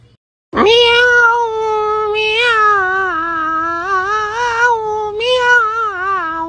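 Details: Domestic cat giving a loud, drawn-out meow of about six seconds, a steady wavering tone that rises, dips and swells again in three connected surges, rich in overtones, with no other sounds.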